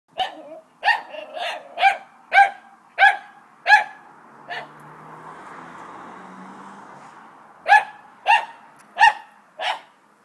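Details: Dogs at play: a run of six sharp, high barks roughly every half second, a low rumbling stretch in the middle, then four more barks in quick succession.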